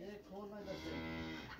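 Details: Cow during a dangerous fight, giving a drawn-out low moo with a steady, even-toned voice lasting over a second, partly overlapped by a man's voice.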